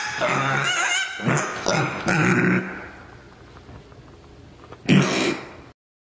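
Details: Mini pig walking around, giving four loud, rough, harmonic grunting squeals in quick bursts over about six seconds, each lasting under a second, with a quieter stretch between the third and the last.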